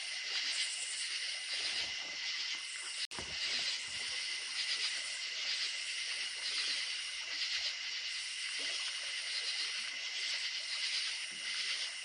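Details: Night chorus of crickets near creek water, high continuous trills layered over a steady tone, unbroken except for one brief dropout about three seconds in.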